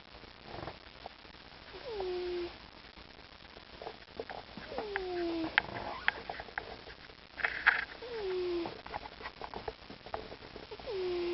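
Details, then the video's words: A pet cat named Mr. T snores while asleep indoors. Each breath gives a whistling, downward-gliding note about every three seconds, four in all, over low room noise and light scattered clicks. "Snoring Cat"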